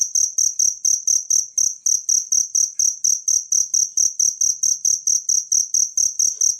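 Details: Natural cricket chirping, offered as tutor sound for training songbirds: a high, shrill pulse repeated steadily about four times per second, each pulse bright and clipped, with no other sounds.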